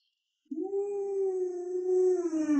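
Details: Pet Alaskan Malamute at home, sitting calmly while being petted: one long, even, drawn-out howl lasting about two seconds that falls slightly at the close, cut off by a sharp noise.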